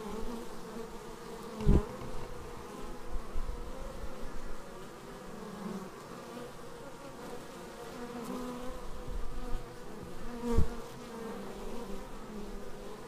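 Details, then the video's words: Honeybees arriving at their hive, filmed raw on a Xiaomi Yi action camera: a steady low droning buzz of many wings with bands of harmonics, two sharp knocks as bees strike near the camera. "Bees arriving at hive"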